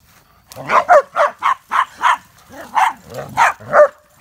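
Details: Dogs barking while playing wildly around a backyard campfire, a German Shepherd, a Boxer and a Chorkie together; a run of about ten loud, harsh barks in quick succession, some with a rising yelp at the end.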